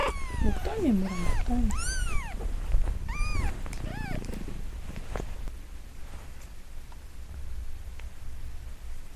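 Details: Five-day-old Munchkin kitten, newborn, crying loudly when made to cry; a quick burst of high arched mews with rough lower cries in the first four seconds, then only faint rustling and handling sounds.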